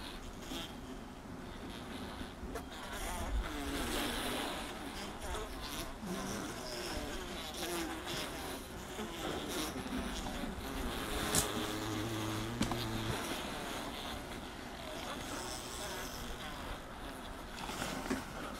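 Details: Dense mass of honey bees filling a honey super: steady droning hum layered with irregular buzzing swells and scattered clicks and scrapes of bodies moving over comb.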